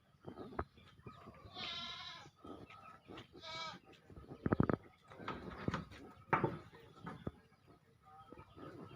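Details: Goat kept in a village in East Langsa, Aceh, Indonesia, bleating twice in quick succession with strongly harmonic, wavering 'mbek' cries, followed by knocking and scuffling sounds.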